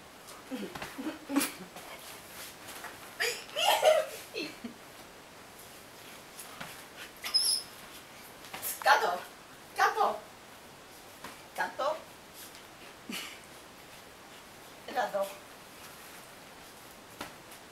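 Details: Luna, a pet dog refusing to leave the bed indoors, gives irregular whining, grumbling vocal bursts spaced a few seconds apart, some rising and falling, while a woman speaks Greek commands nearby in a small room.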